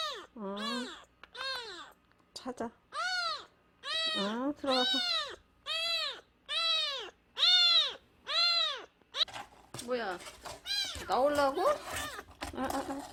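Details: A stray nursing kitten, less than a month old, crying after being found at the front gate and brought inside. It gives a long series of loud, shrill, arched meows roughly once a second, growing overlapping and ragged toward the end.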